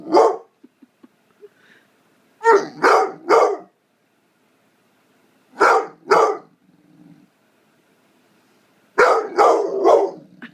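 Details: Blue fawn American Pit Bull Terrier, nine months old, male, barking to get his owner's attention: clusters of two or three sharp barks separated by silent gaps of a few seconds, with faint soft grumbles between.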